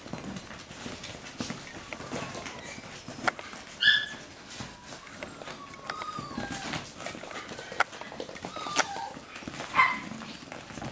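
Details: Playing Russian Toy pups let out two sharp, high yips several seconds apart, set against soft rustling and faint voices.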